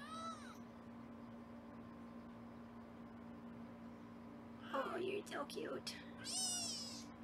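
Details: High-pitched kitten meows from foster kittens at weighing time in a Los Angeles kitten room, one at the start and a longer wavering cry near the end, with a woman's talking just before it and a constant background hum.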